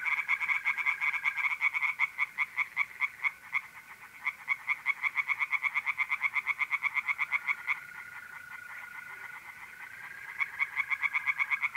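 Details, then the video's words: Tree frogs singing in a pond on an April night in north-east Italy: a dense chorus of rapid, rattling pulses from several frogs, with a steady high trill from mole crickets running beneath and briefly dropping out midway. "relaxing singing tree frogs in pond and trilling mole crickets by night"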